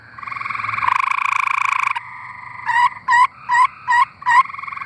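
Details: Singing tree frogs in Arkansas: a long rattling trill, then five short separate pulsed croaks spaced about half a second apart over a fainter continuous buzz.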